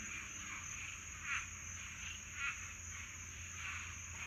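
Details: Florida swamp frogs calling together in a summertime night mating chorus, uneven trilling pulses rising about once a second, with a constant shrill insect hum above.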